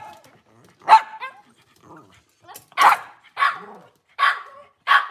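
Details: Cavalier King Charles Spaniel in a kitchen on a cloudy Monday morning, giving five sharp, uneven barks over about four seconds, separated by short quiet gaps, with faint background murmurs.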